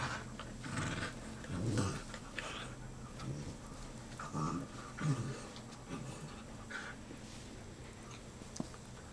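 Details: Black and tan dachshund brothers, four and just over one year old, vocalizing after a wrestling session: soft low grunts and growly murmurs roughly once a second, mixed with panting and shuffling noises.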